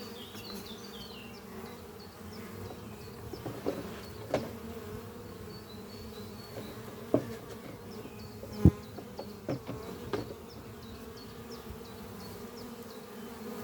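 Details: Honey bees flying at a horizontal hive made from an old French oak chest, under trees on a spring morning, workers bringing in pollen; steady low droning hum with swelling and fading passes, occasional knocks, faint high chirping birds in the background.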